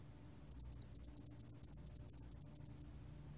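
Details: High, sharp cricket pulses from the spotted-wing hairy cricket, about twenty rapid, regularly spaced ticks delivered in a single run of roughly two and a half seconds.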